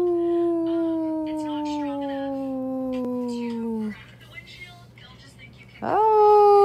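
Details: Dog howling in a long, steady tone that slowly falls in pitch for about four seconds, then a quiet pause with faint chatter, then a new howl starting abruptly with a sharp rise.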